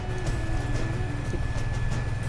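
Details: An Asian elephant gives a deep, steady rumble, a contact call meant to reach another elephant 2–3 km away. It is made while being asked whether another elephant, Akila, has come.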